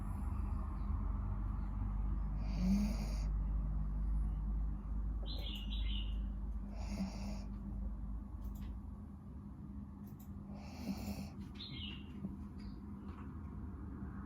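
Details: Pet dog snoring during a nap: low, rough breaths rumble steadily, with a louder snore roughly every four seconds, while small high chirps of birds sound faintly in the background.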